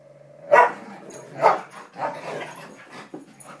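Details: Samoyed and Siberian Husky in a friendly play fight, giving short harsh barks about once a second, three louder bursts followed by softer grumbling vocal sounds.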